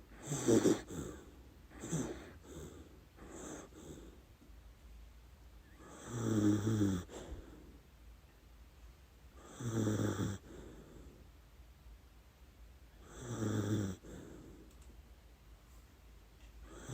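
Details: Sleeping dachshund Lady Ruby snoring through her dreams: a few quick snuffling breaths, then three deep, rumbling snores roughly every four seconds, each with a breathy hiss.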